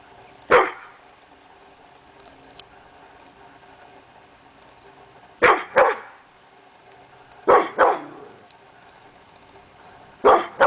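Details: Morning barking at nothing by Hemi Bleu, a pit bull, August 22, 2012: a single bark, then paired barks roughly every two to three seconds, with quiet indoor background between.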